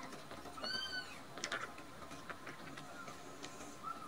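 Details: Two rescued kittens, Nan-chan and Cookie-chan, sleepy and full of milk. One clear rising-then-falling mew near the start, a brief fainter squeak at the end, with light rustles and quiet room noise between.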